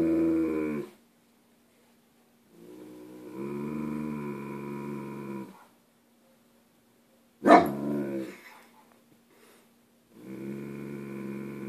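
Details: German Shepherd named Harvey, about one year old, guarding his turf as a newspaper is dropped off, filmed on a Samsung Galaxy S3 on June 28: long, steady, harmonic growling vocalisations in three spaced bouts, with a sharp knock midway.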